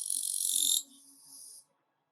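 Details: Katydid (kirigiri-su) in autumn giving a broad, hissing buzz of about 0.8 seconds, then a softer, quieter buzzing tail fading out near 1.7 seconds.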